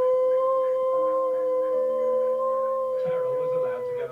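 A Siberian Husky gives one long, sustained howl on a steady, clear mid-range pitch, with little wavering, that sags and breaks off near the end. A faint human voice sounds briefly in the background.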